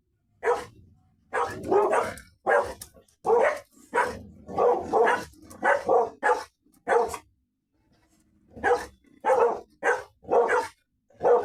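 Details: Labrador Retriever together with a Golden Retriever; a dog barks in rapid runs of loud, punchy barks, sometimes doubled, pauses for about a second and a half, then resumes with a steady series of single barks.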